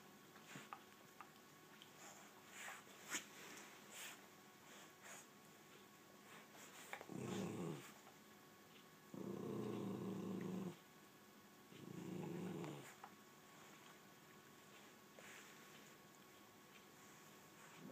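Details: Nugget, a rat terrier, and Mako, an American Staffordshire terrier, squabble over a bed: after long quiet with small knocks and rustles, three low rumbling growls come in quick succession, the middle one longest, about a second and a half.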